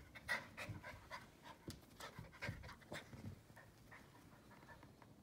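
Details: Keeshond puppy pleading with a Siamese cat to be his friend; quick rhythmic panting breaths with soft snuffling bursts, irregular and close, against a quiet indoor background.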